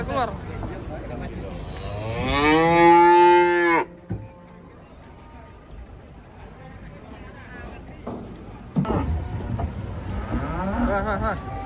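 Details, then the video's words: Unloading cattle from a truck, with a calf eager to run: one powerful, long harmonic moo of about two seconds cuts off abruptly, then low rumbling and a later wavering moo. "KUMPULAN SAPI LUCU UNIK TURUN DARI TRUK SERU SEKALI"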